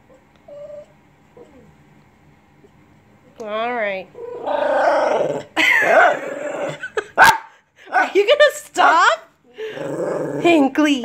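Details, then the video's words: Lhasa Apso dog 'talking' at home: after a quiet start comes a wobbly, warbling moan, then a run of loud grumbling, growly vocal bursts broken by short gaps. A person speaks in between, and there is one sharp click. "Talking Lhasa Apso!"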